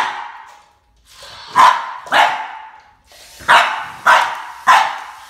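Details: Boston Terrier facing off against a snake, giving five loud, sharp barks in two groups, each bark bright and abrupt, spaced roughly half a second apart within each group.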